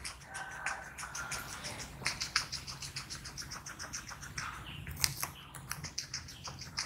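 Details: Small guinea pig eating, recorded close up in ASMR style: a steady run of rapid, crisp crunching clicks from chewing, dense and crackly, with slightly louder bites near the five-second mark.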